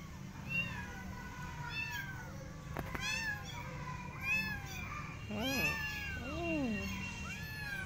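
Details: Persian cat and her adopted kittens walking in a garden while watching rabbits: a string of high, arching meows, rising then falling, about six in eight seconds, some overlapping, over a low steady background hum.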